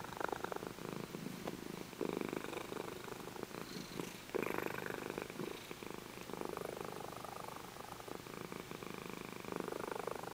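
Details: Adult female Champagne tabby, five years old, in a shelter, purring steadily as she is stroked; continuous low vibrating rumble that swells and fades in long waves, with occasional soft handling noises.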